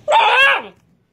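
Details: Young red Doberman, newly arrived, whines indoors: one loud, strained, harmonic cry that holds briefly then drops steeply in pitch, followed by a soft rustle.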